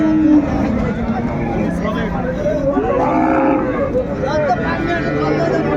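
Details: Market cattle at Ambari haat in Dinajpur on 31/1/25, cows and calves on sale: a short arched moo near the middle, partly masked by nearby men bargaining and general crowd noise.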